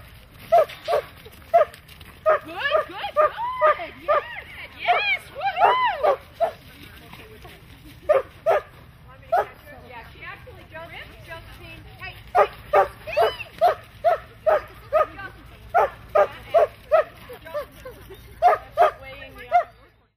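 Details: Standard Poodle working sheep, letting out rapid runs of sharp yapping barks, some slurred and wavering, in bursts separated by brief pauses, with steady low background rumble.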